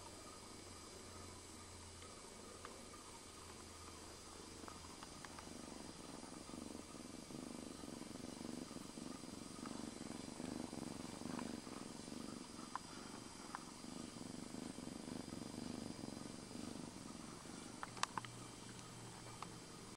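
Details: Young domestic cat at play: a low, pulsed, rumbling purr runs steadily through most of the recording, with a few sharp clicks and knocks near the end.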